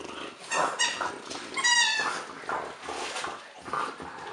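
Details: French Bulldog at Christmas, indoors in a small room: a string of short, high whining and yipping calls with rising harmonic sweeps, some breathy grunts between them, uneven bursts over a few seconds.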